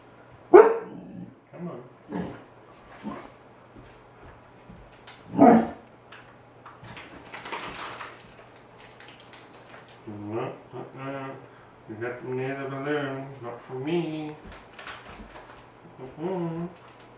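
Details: A 4-month-old Alaskan Malamute puppy, afraid of a balloon and being coaxed with treats indoors, gives a few sharp barks early on, then drawn-out harmonic whining and groaning howls toward the end, with a man speaking softly.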